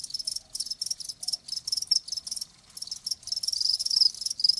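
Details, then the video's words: Rapid shrill chirping from a cricket, pulses grouped into quick bursts with a clear gap around the two-and-a-half-second mark, then a denser run; a nature recording meant to soothe tinnitus. "귀뚜라미 1시간"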